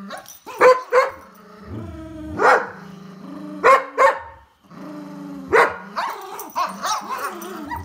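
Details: Poodle playing tug of war, giving rough growling barks in uneven bursts, some short and others drawn out into throaty growls, with pauses of about a second between them.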